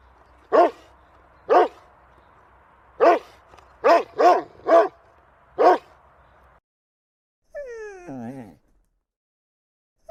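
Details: Domestic dog barking: seven short, sharp barks at irregular intervals over about six seconds, followed by a brief wavering tonal sound.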